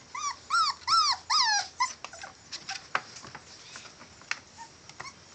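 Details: Male Catahoula bulldog puppies whimpering in high, arched whines, four loud drawn-out cries in the first two seconds, then sharp clicks and softer squeaks with scattered rustling.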